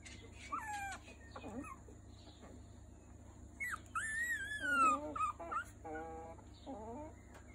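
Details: Three-week-old Miniature Schnauzer puppies give thin, high whimpers and squeaky yips, often sliding downward in pitch.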